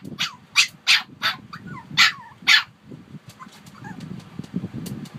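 A small dog, a Shih Tzu, lets out about six quick, yappy barks in a steady rhythm. After them come a few softer whines and a low background rumble.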